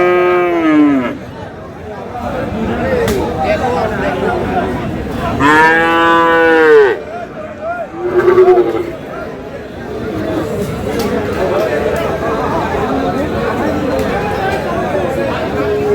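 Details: Four-month-old Friesian or crossbred bull calf at Aftabganj cattle market, Dinajpur, 7/6/26. Three moos: a short one at the start, a long full bellow midway, and a brief low call after it, all over constant crowd chatter.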